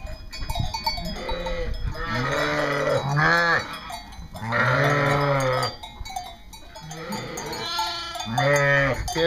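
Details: East Friesian dairy sheep on a North Carolina farm bleating in a flock: several drawn-out, wavering bleats, some low and some higher, with gaps between, over steady background music.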